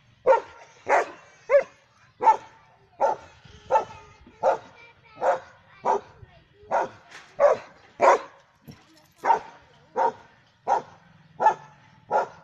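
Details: Steady run of about eighteen barks from a German Shepherd Dog, deep, abrupt and evenly paced roughly every two-thirds of a second, one or two with a rough, whining edge.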